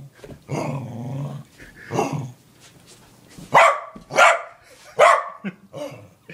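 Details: A playful female corgi growls low and drawn-out, then gives three loud, sharp barks about a second apart, followed by quieter yips.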